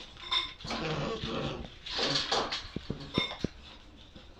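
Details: Seven-week-old Bull Terrier puppies, black and white, playing and fighting: rough, breathy growling bursts mixed with a few high, thin squeaks, then a run of sharp clicking taps near the end.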